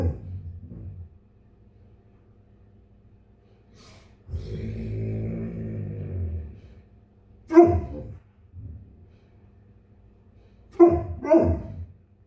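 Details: A male Bernese Mountain Dog, in the morning waiting impatiently for his breakfast to cool, gives a drawn-out vocal moan, then short, deep barks and grumbles, voicing his disappointment.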